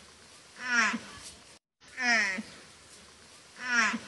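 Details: Water buffalo (Bubalus bubalis), contact call: mother calling for her calf.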